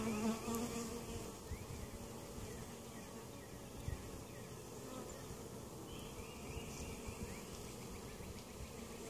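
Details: Honey bees buzzing at an opened hive in Mt. Perry, Ohio, a weak colony that survived winter with its queen present and under treatment for varroa mites; a dense, steady low hum fills the recording with faint higher whines.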